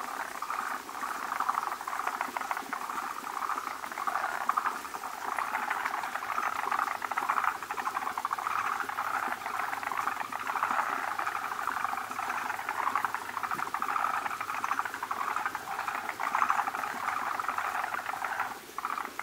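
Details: Many male forest green tree frogs gathered with an egg-bearing female at a spawning place where foamy egg masses are laid; a dense, nearly continuous chorus of fast pulsed clucking calls.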